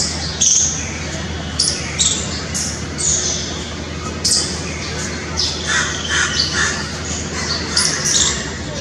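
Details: A squirrel, filmed in extreme close-up, gives sharp, squeaky chirps in uneven bursts, several each second.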